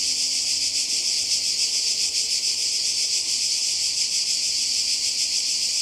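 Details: Croatian coastal cicadas in summer 2020: a steady, piercing high-pitched buzz made of fast repeated pulses, sustained without a break.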